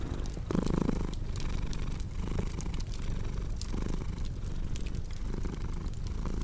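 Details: Domestic cat purring in a low, steady rumble that swells and fades in breathing cycles about every second and a half, with sharp crackles and pops from a wood fire over it.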